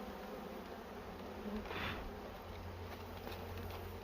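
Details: Low, even droning of bees around their nest in a cashew orchard as honey is taken, a continuous hum with a brief hiss of rustling near the middle.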